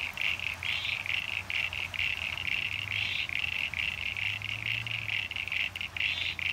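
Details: Mixed chorus of common eastern froglets and eastern sign-bearing froglets in a rain-filled pond in NSW, Australia, 9 September 2022, calling day and night; dense, rapid high-pitched squeaky pulses repeat about twice a second, with a low steady hum beneath.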